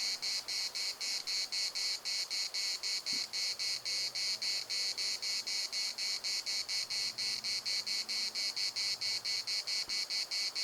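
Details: Cicada chorus in the municipal park of Larnaca: a loud, buzzy, high-pitched pulsing drone, the bursts repeating roughly twice a second without a break, with faint low hum underneath.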